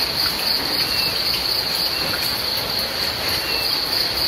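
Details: Short stretch of cricket chirping during rain, a shrill, even pulsing tone that never stops, layered over dense rain noise.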